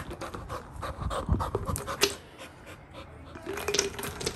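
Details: Rapid, breathy panting from Little John, an excited Labrador retriever puppy reacting to the sound of a shaken paw ball, with short puffs repeating steadily and light household noise behind.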